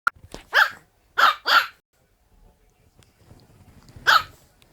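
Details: French Bulldog giving four short, hoarse barks, a pair close together, then a pause before a last bark, in an otherwise quiet room.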